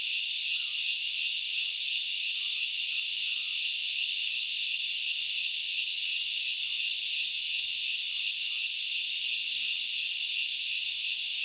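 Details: At Knuckles Reserve in Sri Lanka's Central Highlands, forest grasshoppers keep up a continuous shrill, sizzling drone without pauses, layered in several high bands; a few faint quiet chirps appear early on.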